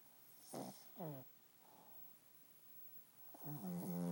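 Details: Jesse, an 11-year-old dog, sleeping and snoring: two brief raspy snorts close together, a soft faint breath in the middle, then a louder drawn-out rattling snore building at the end.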